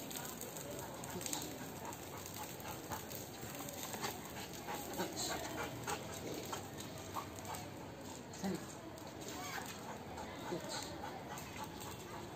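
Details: Rottweiler; play growl; playful growling during a rope tug game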